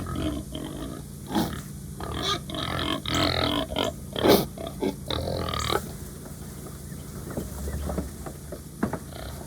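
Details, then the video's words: Hungry pigs on a farm give a run of harsh grunts and short, rough squeals in quick bursts. "My Pigs Are Making Funny Sounds"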